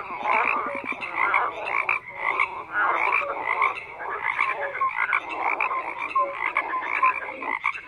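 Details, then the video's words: Dense croaking from many frogs, with pulsed rattles and brief tonal notes overlapping in a continuous night-like chorus with no other sounds. "FROGS CROAKING"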